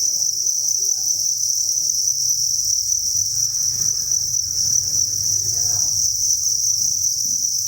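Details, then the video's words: A cricket farm chorus from thousands of crickets: a constant shrill, high trill that never pauses, over a low hum and faint muffled sounds in the background. "Cricket Chirping Sound"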